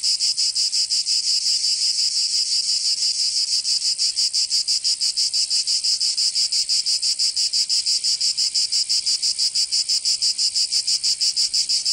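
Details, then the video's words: Cicadas singing in summer in Provence, southern France: a dense, continuous high buzzing chorus pulsing rapidly and evenly, about three pulses a second, with no other sounds. "Canto Cigarra 🦗 [ Escuchar les cigarras en verano 10 H]"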